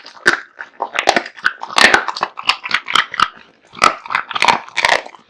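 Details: Kotetsu, a male American Bully, gulps down a heaped meal of raw meat and bones: a steady run of crunchy bites and smacking chews, nearly continuous with short pauses.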